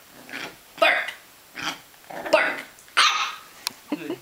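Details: Nine-week-old miniature poodle puppy barking on command while doing tricks: about four short, sharp, bright barks spaced under a second apart, with a person's voice giving commands and praise between them.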